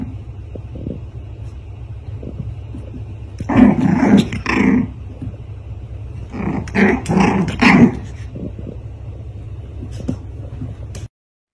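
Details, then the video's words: Black dog and white dog fighting, with growls and snarls in two loud bursts, each about a second long, over a steady low rumble of background noise. "Fighting black Dog vs white Dog so amazing fighter"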